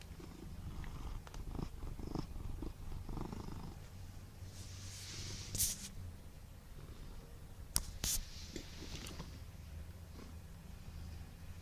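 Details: A fat Siamese cat purrs steadily, a low continuous rumble with a few brief rustles and bumps.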